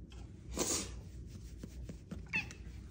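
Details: Female Bengal cat indoors, stretching out long for belly rubs; a short soft meow and a faint brief chirp, quiet against low room hum.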